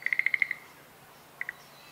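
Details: Schlegel's green tree frog at Showa Kinen Park on 10 April 2021 in spring: a quick run of seven clicking pulses, then a pause and two more pulses, over quiet background.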